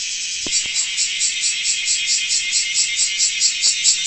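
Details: Large brown cicada (Graptopsaltria nigrofuscata), song.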